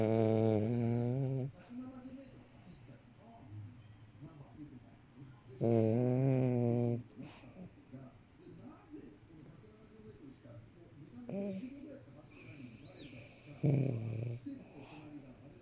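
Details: A pet French Bulldog snores while asleep indoors: deep, droning harmonic snores lasting one to two seconds come roughly every five to six seconds, with softer rasping breaths in between.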